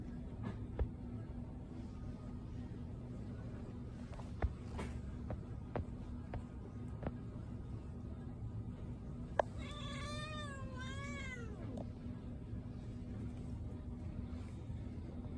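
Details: Patti, a cat at a pet store, gives a single drawn-out, wavering meow with rising and falling harmonics near the middle of the recording, over steady low indoor hum and a few faint clicks.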